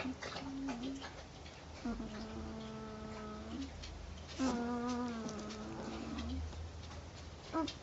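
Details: Female Northern Inuit puppy, 10 days old, asleep and snoring: two drawn-out whistling breaths of one to two seconds each, with short fainter squeaks before and after, in a quiet room.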